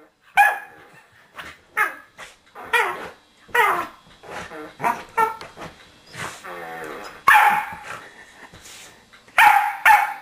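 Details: Pet corgi attacking a remote control whoopie cushion hidden under a sofa cushion at home: sharp, high barks in uneven bursts, about one every two seconds, with a person speaking in between.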